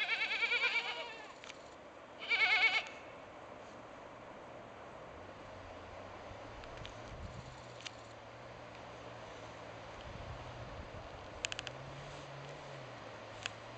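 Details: Two loud, wavering bleats from a mother goat calling her kids home, each goat having a unique voice, followed by a quiet low hum.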